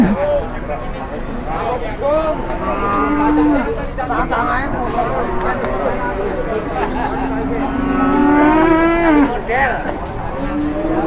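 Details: Raging cattle coming off a truck in Indonesia: repeated low lowing and groaning moos across the clip, a longer louder bellow toward the end, with people talking and excited exclamations throughout.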